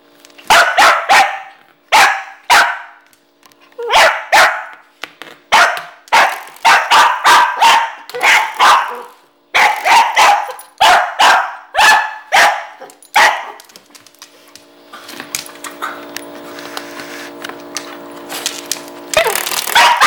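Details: Agitated dog barking at a door stopper spring it hates. A long volley of rapid, harsh barks runs for about thirteen seconds, then the spring's ringing, wobbling twang sounds before one last bark.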